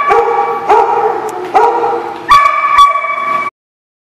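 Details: Dog recorded on 30 July 2016 giving four loud, tonal barks spaced under a second apart, each a rich harmonic burst, the last two longer and higher-pitched, then silence.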